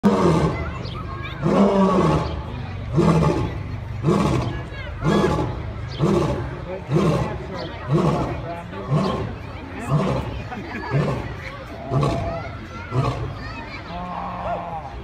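A lion roars in a long bout of deep, throaty grunts, each a short heavy burst repeated roughly once a second. The grunts keep a steady pace throughout, with a faint voice-like murmur in the background.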